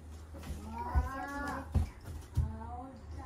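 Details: Norwegian Forest Cat meowing cutely while hugging; one drawn-out, arching meow with a rising then falling tone, followed by soft thumps and low background hum.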